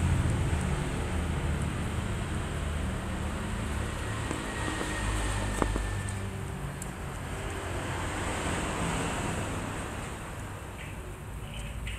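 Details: Constant rushing noise like wind or passing traffic, with a faint thin tone and one sharp click, and no animal voice.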